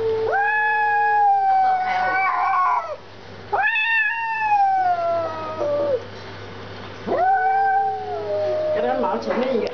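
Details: Jealous domestic cat confronting a stray cat over leftover food outside; loud drawn-out meows, each rising then sliding down, three long calls with harmonics, a woman speaking Chinese in the background.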